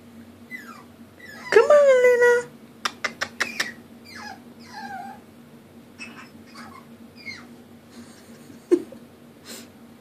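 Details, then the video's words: Indoor female puppy crying for help to go up the stairs: one drawn-out, wavering wail with a rich, nasal tone, followed by sharp tapping clicks and several shorter descending whimpers, with a person softly coaxing and a low background hum. "Puppy cries to go up stairs"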